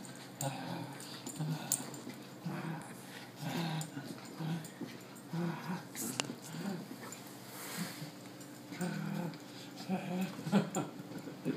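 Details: A 12-week-old female Corgi puppy gives soft whimpers and grunts while playing with a new friend, as people talk and laugh nearby.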